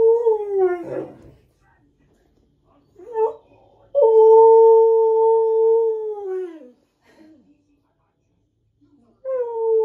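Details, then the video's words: Male husky singing to himself: soulful, drawn-out howled notes in three phrases separated by quiet gaps, the longest held steady for almost three seconds before sliding downward, the last rising again at the end. "Caught My Husky Singing To Himself! So Soulful!"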